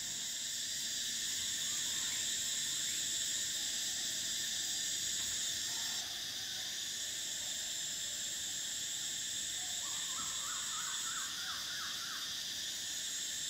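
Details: Summer cicadas produce an intense, even high drone that shifts pitch twice, while a bird adds a quick run of bouncing notes near the end.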